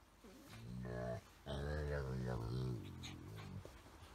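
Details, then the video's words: Golden Retriever in friendly rough play with a small Chihuahua–Shih Tzu mix at home, giving low, harmonic, talking-like grumbles: a short moan, a pause, then a longer wavering growl with scuffling noises between. "訳の分からん犬語を話しながらじゃれ合う愛犬たち(笑)[Golden Retriever]"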